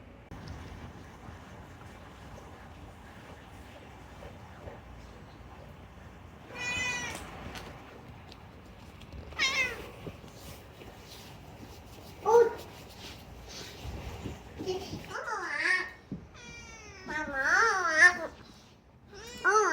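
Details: A talkative rescued pet cat named Unagi chatters in a run of meows, quiet at first, then several wavering, pitch-bending mews in the second half, some short and chirpy, others drawn out; faint room background.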